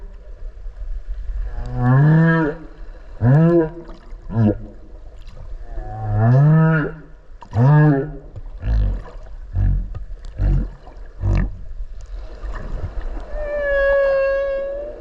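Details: Okinawa whale recorded underwater at close range while swimming with it: a run of short rising harmonic moans repeated every second or so, then low grunts, ending in a long sustained bright tonal cry.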